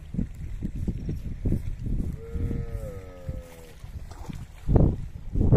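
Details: Cattle in a herd heading down to the river; one steady, slightly wavering moo of about a second and a half rises amid thumping, splashing movement and low rumble.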